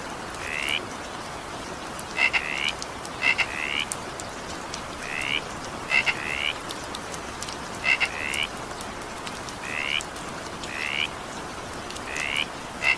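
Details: Frog calling during evening rain: short rising nasal croaks, a dozen over the stretch at uneven gaps, several led by sharp paired clicks, all above a steady hiss of falling rain.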